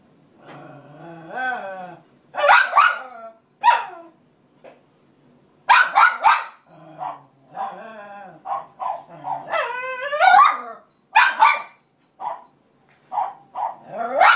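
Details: Cairn Terrier Roxy protests after the other cairn takes her bed nearest the radiator, mixing yelping whines that bend up and down with sharp barks in irregular bursts, several sounds each second in places.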